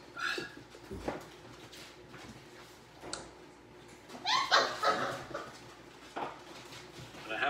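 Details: A litter of seven Labrador Retriever puppies in their pen on a morning before breakfast give high, yappy barks, snarls and yelps in short bursts during play, with a person talking.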